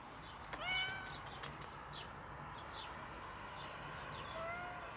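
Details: Domestic cat meowing indoors: a few short rising-falling mews early on, then a quieter drawn-out mew near the end, over a steady background hum.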